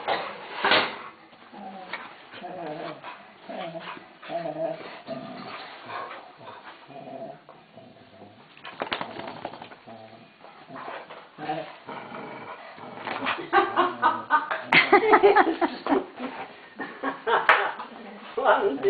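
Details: Welsh Springer Spaniels Frauke and Aisling put on a begging act at feeding time. Whines, whimpers and yelping barks come in irregular bursts, growing louder and denser in the second half, with people talking over them.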